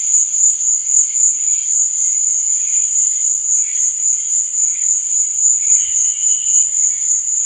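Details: Crickets chirping at night: a dense, unbroken high-pitched trill pulsing several times a second, over a fainter, lower buzzing layer that swells and fades; no other sounds.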